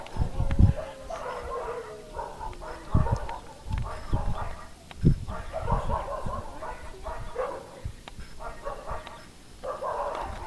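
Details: A male Siberian husky offered for sale gives short yipping barks and a brief drawn-out whine near the start, with heavy low thumping handling noise and faint voices throughout.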